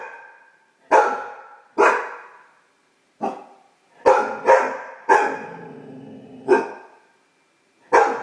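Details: Great Dane puppy, a pet female, barking at her own reflection while discovering her bark: sharp single barks spaced about a second apart, some in quick pairs, with brief low whining between.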